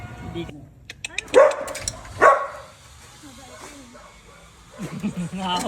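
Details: Two Belgian Malinois dogs at home: two loud, sharp barks at about one and two seconds, then quieter whining yelps near the end, mixed with people talking and laughing in Filipino and English.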